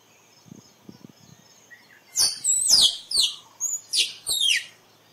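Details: Shrill, descending squirrel notes start after two quiet seconds with soft taps, then roughly six sharp whistled sweeps follow in quick succession. A steady faint high hum sits underneath.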